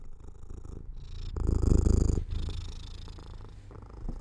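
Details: Domestic cat purring while falling asleep near an open window in sunlight; a low rumbling purr with a louder, rougher stretch in the middle, then softer steady purring.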